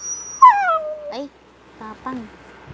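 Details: Japanese Spitz dog with a loud whine that slides downward and fades, then a brief yip, followed after a pause by two softer short whimpers.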